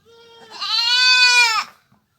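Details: Village goat giving a single drawn-out bleat of under two seconds. It starts as a thin, steady tone, then swells into a loud, richly harmonic, slightly nasal cry before stopping abruptly. The background is quiet.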